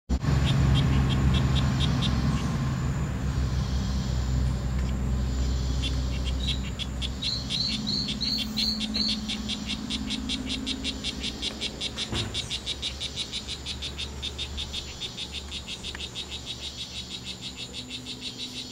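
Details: Male strawberry poison-dart frogs, two of them fighting at the C.R.A.R.C. reserve on September 10th, 2012, late morning: a fast train of short, buzzy high chirps repeated steadily, with brighter separate notes midway, over a steady low rumble.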